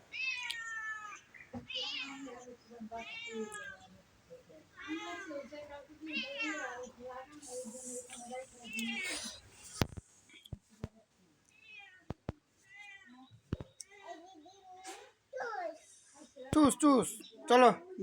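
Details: A pet cat being chased by a small child meows repeatedly, drawn-out and rising then falling, roughly one call a second early on, interleaved with a child's chatter and a few sharp clicks and knocks.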